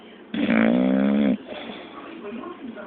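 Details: Snoring English Bulldog, one strong droning snore of about one second with a steady, rich, nasal tone, then quiet breathing noise and a faint indoor murmur.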